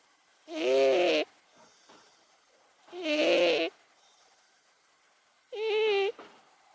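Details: Momo, an 18-year-old pet cat, screams on waking from snoring sleep: three loud, drawn-out, strained yowls about 2.5 seconds apart, each a rich tonal wail with a wavering pitch. The room is quiet between calls.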